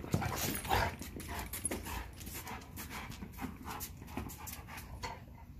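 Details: Rottweiler playing with a basketball, breathing in rapid, breathy panting bursts, roughly two each second, with scuffling and thumps from the play mixed in.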